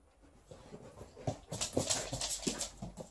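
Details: Liza the Alaskan Malamute, shedding, tussles with her old fish toy during a visit; rapid rhythmic panting bursts grow louder after a quiet start, mixed with faint whimpering.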